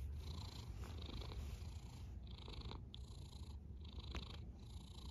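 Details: Sleeping cat snoring in even cycles: a low rumble throughout, with a breathy hiss that swells and fades about once every second.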